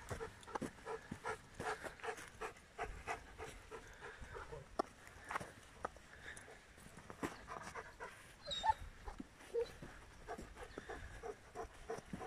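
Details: Soft, steady panting from the giant schnauzer Blackmoore Uno Nicolas Radinie: faint breathy puffs repeating through the whole stretch, with a quiet background and a tiny squeak near the end.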